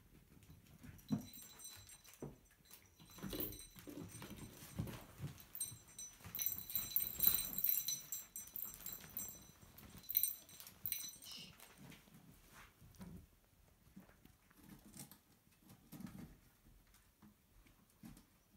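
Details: Puppies, filmed over their growth from birth to ten weeks, give faint high squeaky whimpers and squeals in a cluster midway, with soft shuffling and low thumps below.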